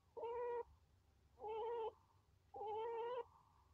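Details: Chinchilla squeaking three times at a steady pace, about once every 1.2 seconds. Each call is a level, nasal, harmonic tone lasting half a second. A quiet low hum runs in the background.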